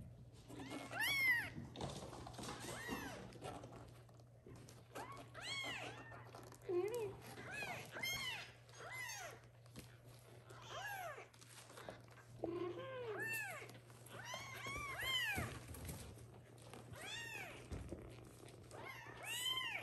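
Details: Several small kittens meowing insistently indoors so the mother cat will come and feed them; a dense, overlapping chorus of high arched meows, repeated nearly every second throughout, with soft rustling and a low hum.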